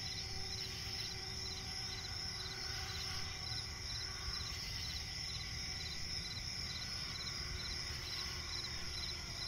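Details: Night chorus of crickets in a swampy forest, dense high shrill trilling with quick repeated chirp pulses over a continuous low background hum.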